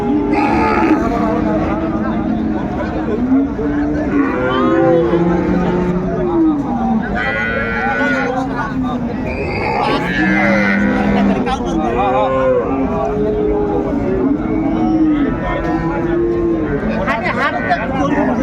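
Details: Cattle market at Ambari, Dinajpur, on 31 January 2025, with cows and calves being sold: repeated short arching moos rise and fall over about eighteen seconds, mixed with continuous crowd chatter.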